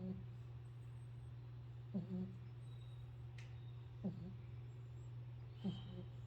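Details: Pit bull snoring: short voiced snorts with a low tonal core and faint upper harmonics, repeating roughly every two seconds over a steady low electrical hum.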